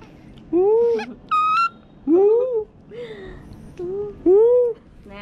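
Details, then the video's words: Bop, a young pet monkey, whimpers to be taken outside. Four or five drawn-out tonal cries arch up and down, with a brief higher squeak between them. A woman talks softly to him in the background of a small room. "Monkey Baby Bop wanna go out, He cries and talk with Mom!"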